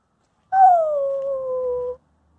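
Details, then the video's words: Female Wolamute dog howling, perfecting her vocals before chasing away a German Shepherd Husky; a single smooth tonal howl about 1.5 seconds long, starting higher and sliding gently down to a steady, level pitch with a clear overtone. "Wolamute perfecting her vocal then chase away German Shepherd Husky"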